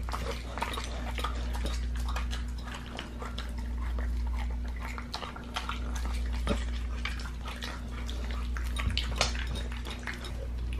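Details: Raw-fed pit bull gnawing a raw leg of lamb inside, close recording: rapid crackling bites and wet tearing, uneven rhythm, with sharp bone cracks now and then against a constant low hum.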